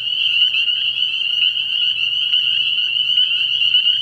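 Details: Spring peepers calling from a frog pond at night early in the year: a dense, continuous chorus of high, piercing peeps merging into one shrill ringing band, with a faint low hum underneath.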